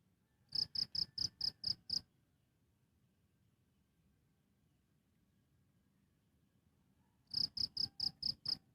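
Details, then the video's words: Live-recorded cricket giving two trains of six or seven crisp, high-pitched chirps each, with a long silent gap of about five seconds between them; only faint low background noise. "Efek Suara Jangkrik - Cricket Sound Effects"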